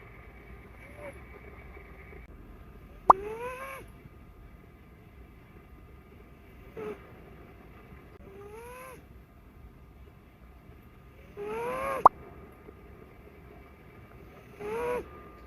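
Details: Snoring Ragdoll kitten with blue point bicolor coat, its owner wondering if it is just a snore or something wrong: six short whistling, arching breath sounds every two to four seconds, a few faint clicks, otherwise quiet.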